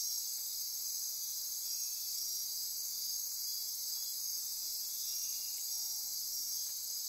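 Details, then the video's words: Night-time insect chorus in Costa Rican rainforest on the Osa Peninsula near Corcovado: piercing steady trilling and ratcheting buzz high in pitch, continuous and dense, with a faint lower tonal note near the end. "Midnight Insect Chorus"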